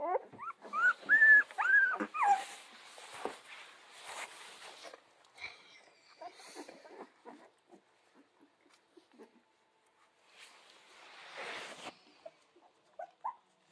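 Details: Central Asian Shepherd Dog puppies from a litter, newly opening their eyes, playing and chewing on their mother: a burst of high, wavering whimpers and squeals over the first few seconds, then scattered soft yelps and rustling.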